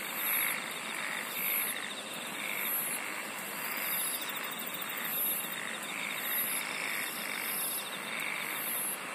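A dense night chorus of insects, with high steady shrilling and buzzy pulses repeating about twice a second.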